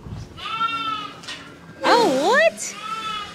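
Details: Angora goats on shearing day on a ranch; a loud wavering, quavering bleat rises and falls for about half a second, framed by softer steady tonal cries, with a person speaking briefly and background music.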